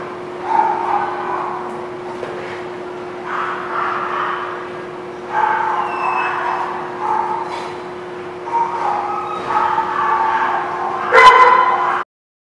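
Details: Dogs barking on 4/17/17 in short harmonic bursts, roughly every two to three seconds, over a steady low hum, with a sharper, louder burst near the end.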